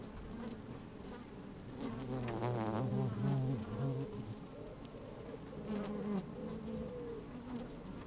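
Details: Worker honey bees moving inside an opened hive on a sunny, slightly windy day, recorded with a microphone lowered among them; a deep droning hum swells around the middle and again later, with wavering buzzes and crawling rustles.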